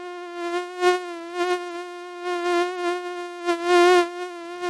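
A mosquito's steady, high-pitched whine, a thin continuous hum that holds one note throughout.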